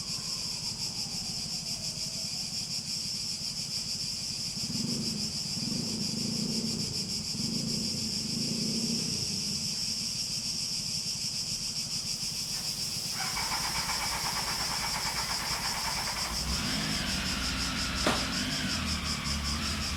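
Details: Cicadas in a high, steady shrill drone that pulses rapidly, with a low rumble throughout and a stretch of mid-pitched whining hum in the second half.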